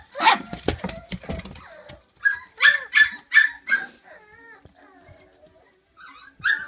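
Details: Puppies five weeks old from Flute's litter: a noisy scuffling start, then a few loud short yelps about every half second and trailing whines sliding downward, with a late yelp at the end.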